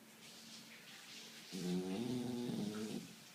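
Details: A sleeping spaniel gives one drawn-out, rasping, harmonic snore of about a second and a half, following a softer low hum of breath.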